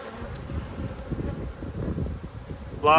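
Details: Honey bee colony humming as a beekeeper inspects it during a food shortage in Australia, February 2022; an even low drone with soft thuds, cut by a short spoken sound at the very end.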